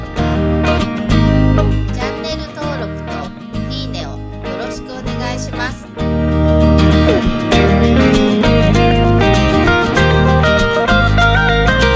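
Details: Loud acoustic guitar music with some speech dominates throughout, and no animal sound stands out.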